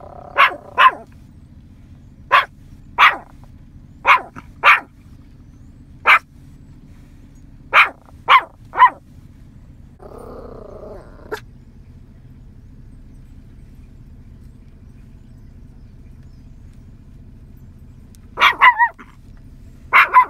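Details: Out in a field, a nine-month-old Yorkie barks to call in scattered cows: evenly spaced sharp barks, then a long quiet stretch with a brief drawn-out tonal sound, ending in a renewed cluster of barks.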